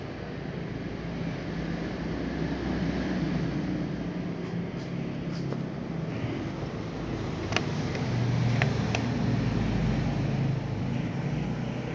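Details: Continuous low traffic rumble with a rising vehicle drone and a few sharp clicks; no animal voice.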